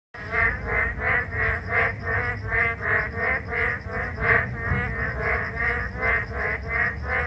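A narrow-mouthed frog gives buzzy, nasal notes repeated about three times a second over rain.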